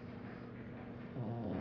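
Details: Sleeping pet pug snoring indoors, a steady low rumbling drone with layered throaty bands that swells louder toward the end.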